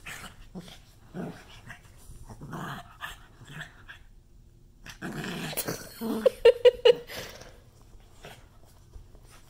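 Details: An angry pug reacts to an obscene hand gesture with rough, snorting growls that build into a quick burst of short, sharp barks.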